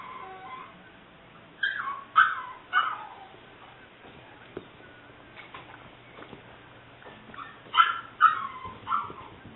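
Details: Seven-week-old female English Springer Spaniel puppy, liver and white tri-color, recorded 5/18/09. Gives short high whimpering yips in two bursts, rising and falling squeals around two seconds and again near eight seconds, with quiet gaps between.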